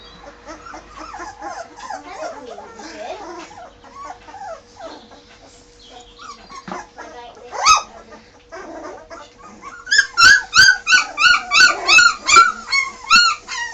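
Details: Bergamasco Shepherd puppies just moved into a puppy room: a litter of high, wavering whines and squeaks overlapping early on, then a run of sharp, evenly spaced yelps repeated about three times a second near the end.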